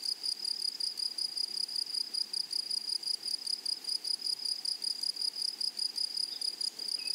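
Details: High, even, ringing insect trill from meadow grasshoppers, a rapid train of pulses with a fainter shimmering overtone above. It runs unbroken at steady loudness with quiet background.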